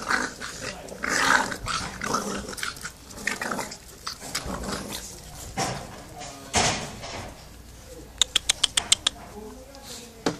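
Staffordshire Bull Terrier puppies make soft, rough growls mixed with thin whimpers. Near the end comes a quick run of sharp clicks or taps, and faint voices sound now and then.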